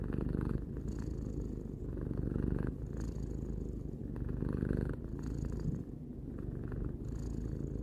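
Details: Tarou the cat, aged three, purring close by, a steady low throaty rumble with audible breath cycles alternating about every two to three seconds.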